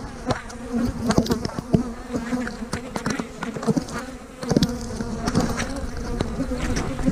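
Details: Honey bees humming on a split day, 3/2020, with queen cells in the new splits; dense steady buzzing drone, many sharp knocks and clicks from working the hive, slightly louder after the midpoint.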